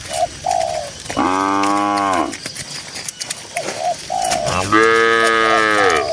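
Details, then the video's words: Two loud, sustained moos from tame grazing cattle in a cool green countryside field, each about a second long and strongly harmonic, separated by brief, soft cooing notes of a dove-like bird. "Suara Moo Moo Sapi Lembu yang Lucu di Tengah Ladang Hijau yang Sejuk"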